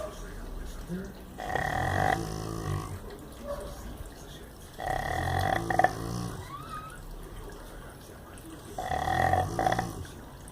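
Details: Rottweiler named Athalia snoring: three rasping, low harmonic snore bursts come roughly every three and a half seconds, each lasting under a second, with quieter breathing between them and a brief higher squeaky tone after the second snore.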